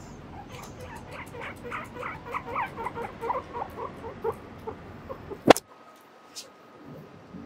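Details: Pet guinea pig Mochiri trotting back and forth along a bridge, moving away and coming closer. A quick run of short squeaky chirps, about four a second for five seconds. Then one sharp click and near quiet over a faint steady tone.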